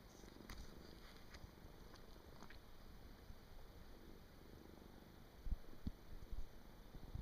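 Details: Domestic cat fast asleep indoors on 23 December 2017 makes a deep, low rumbling snore throughout, quiet and steady, with some brief low thumps near the end.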